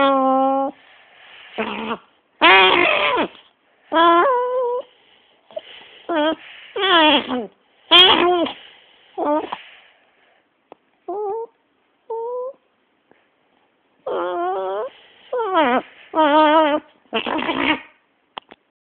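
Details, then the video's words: Dog getting mad as its head is rubbed indoors: drawn-out, warbling whines and moaning yowls that rise and fall, delivered in irregular bursts with short pauses between. "My Crazy dog making funny noises"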